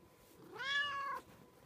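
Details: Clear, loud meow from a pet cat indoors, a rich harmonic call that rises slightly and holds for about half a second before stopping abruptly; quiet room otherwise.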